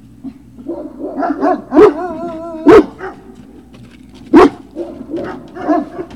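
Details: Great Dane puppy at Puppy Hill, recorded 03-06-2019, giving scattered yips and short barks, with a sustained wavering whine near the middle and several sharp, loud barks standing out.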